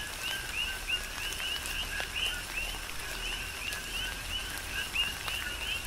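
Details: Big Island, Hawaii: coqui frogs chorusing in tropical rain. Short lower notes run into bright upward-sliding chirps from several callers at once, recurring steadily while rain hisses and individual drops strike nearby.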